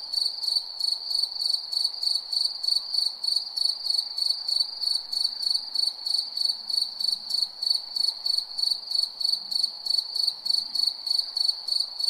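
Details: Steady cricket chirping after dark, sharp high pulses repeating evenly around three every second, a second faint shimmering layer above, low soft ambient hum below.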